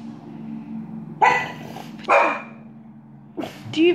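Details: Pet dog indoors barking at another dog on the television: short, sharp, broadband barks in three bursts over four seconds, with a steady low household hum and a person talking nearby.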